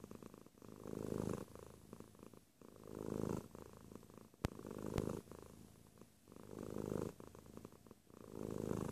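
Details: Close purring from a cat, deep rolling rumble rising on each breath and easing between, a couple of sharp clicks midway, otherwise quiet indoor surroundings.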